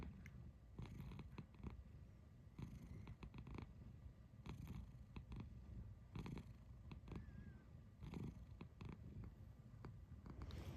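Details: A domestic cat making a soft, low, rumbling purr in steady pulses, with one faint short chirp near the end; quiet indoor sound.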